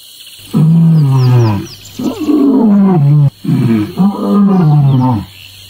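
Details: Lion playing with a lioness gives three long, deep groaning roars. Each lasts about a second and a half, is richly harmonic and slides downward in pitch, and is separated by short pauses. A faint steady high tone sits in the background.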